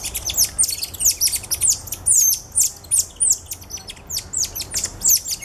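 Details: Dense volleys of shrill, falling chirps from cotton-top tamarins kept at Alma Park Zoo in November 2013, a group including two ten-day-old babies on their dad's back; notes tumble several per second, loud and overlapping, with low background hum.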